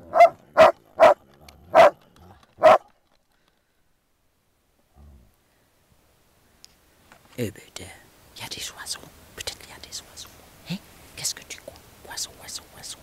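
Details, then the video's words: Groenendael during play and resource guarding: five quick evenly spaced barks open the passage, then a long silence, then soft French speech and rustling movement. "dog resource guarding play groenendaels"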